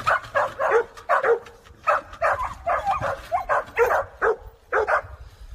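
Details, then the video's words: Young Jindo dogs, two sisters from Naju raised freely in Chuncheon, give quick, bright barks and yips in rapid bursts, some clustered in pairs, filling the few seconds with little else heard. "춘천에서 자유분방 잘 커가는 멍멍이!"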